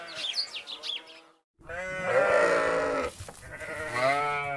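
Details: Sheep alongside goats, brief high chirping sounds at first, a short silence, then two long, loud, trembling bleats follow one after the other.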